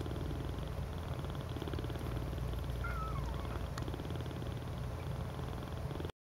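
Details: Cats cuddling in a heap keep up a low, continuous purring rumble, with one brief, soft, falling squeak partway through before the sound cuts off.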